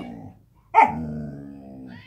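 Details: Samoyed named Gomi babbling in the morning indoors after its owner comes downstairs: a sharp yelp opens into a long, drawn-out, moaning tonal vocalization that slowly falls and trails off, with a quieter warble before it.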